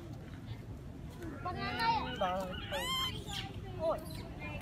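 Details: Young monkey crying out for its mother, who sits high in a tree, until she comes down. A close burst of several quick wavering squeals with rich overtones, the loudest in the middle, over low ambient noise.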